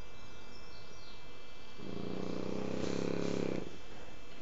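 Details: Kike, a sleeping French Bulldog, gives one loud, buzzy, rattling snore lasting nearly two seconds, rising slightly in strength toward its end, over a quiet hum.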